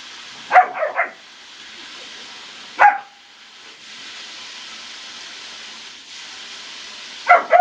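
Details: German Shepherd puppy around a pool giving short, high yapping barks: a quick cluster of three near the start, a single bark near three seconds, then another pair at the end, with steady hiss between.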